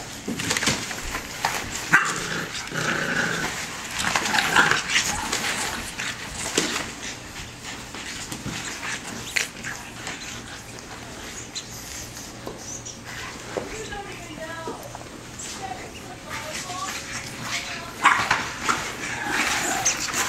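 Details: Bulldog puppies about five and a half weeks old from one litter playing and fighting together: a busy stretch of short, high yips, squeals and small barks that come in rapid, irregular bursts, with scuffling noise underneath.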